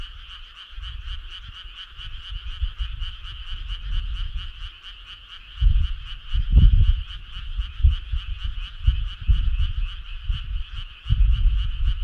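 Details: A midsummer-night chorus of frogs: dense, evenly pulsed trilling holds steady for twelve seconds while loud low booming thumps break in repeatedly, strongest after the sixth second.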